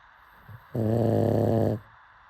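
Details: Sleeping pug snoring: a single long, harmonic rumbling snore lasting about one second, steady and low, over a quiet background hum.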